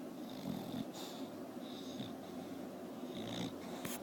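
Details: Porkchop, a bulldog, snoring while asleep: soft raspy breathing noises recurring about every second and a half, with brief wheezy hissing bursts on the breaths and a steady low background hum.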